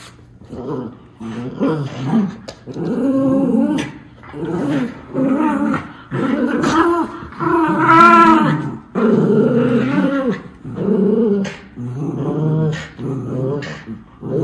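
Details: Miniature Schnauzer brothers, puppies in Aroostook County, Maine, tussling over two toys on November 27, 2021; a long run of rough, rumbling growls rises and falls in waves, some tense and whining, roughly every second.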